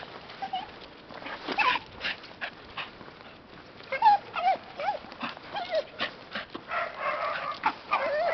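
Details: Happy dog on a walk, making delighted whimpering calls. Short wavering whines and yelps come in clustered bursts, growing busier toward the end, over steady background noise.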